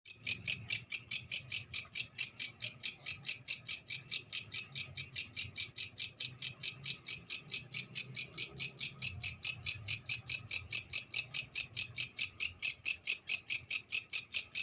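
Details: Grasshopper (belalang) calling at night: a high, rasping chirp repeated steadily a little over twice per second, each pulse bright and buzzy, with a faint low rumble in the background.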